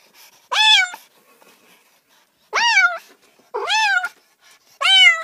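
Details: Domestic cat meowing: four short, clear meows, each rising then falling slightly, spaced about one to two seconds apart in a quiet room.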